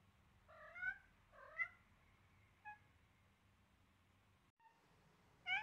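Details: Seven-week-old Siamese kitten Selena, rough with a duckling during play: two quick bright meows, a softer faint one, then another sharp meow at the end after a pause, low hum underneath.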